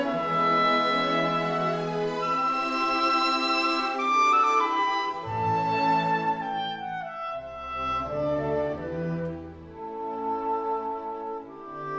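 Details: Orchestral music with flute and bowed strings plays throughout, with no animal sound heard.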